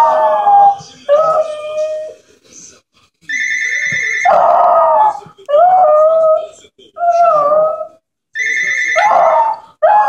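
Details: Pet Jack Russell Terrier indoors howls back at the ringing home phone that annoys it: wavering, falling howls alternate with bursts of electronic ringing, repeated several times.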